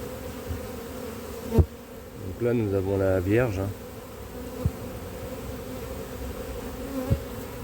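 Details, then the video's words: Honey bee colony showing drone laying (ponte bourdonneuse) after failed first matings on splits, in cold weather; a steady low droning hum throughout, briefly overlaid by a human voice near the middle, with a few sharp clicks. "comment déceler précocement une colonie bourdonneuse"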